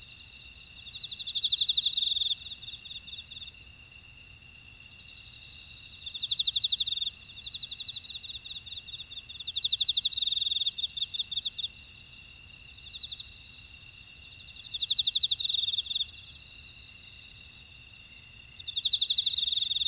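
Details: Grass insects in a buckwheat field at Ora-dong, Jeju Island, South Korea, in a steady high-pitched chorus with trilled bursts rising above it every few seconds.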